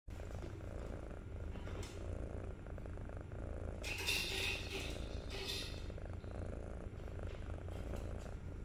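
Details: Kitten on day 63 of growing up, purring steadily with a continuous low rumble throughout, broken by brief rustling and scratchy handling noises around the middle.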